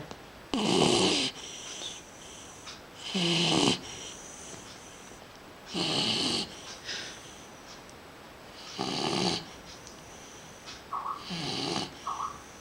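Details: A dog asleep, its loud, gravelly snores coming in five main bursts about every two and a half to three seconds, each rattling breath trailing into a quieter wheeze, with a couple of softer snuffles near the end.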